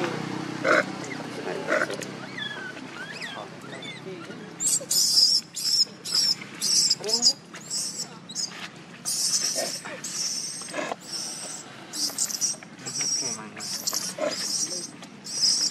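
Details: Baby monkey Leo, hungry and crying to its mother for milk: shrill, high screeching cries in short bursts, clustered and repeated almost continuously from about four seconds on, over a low rumbling background.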